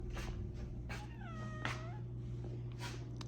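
A house cat lets out one clear, arched meow, rising then sliding down over about half a second, a request to be left undisturbed. A steady low hum runs underneath throughout.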